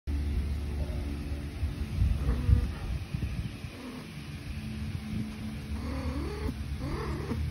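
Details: Domestic cat purring while getting a belly rub, a steady low continuous rumble running through the whole stretch, with brief soft rising voice-like tones near the end.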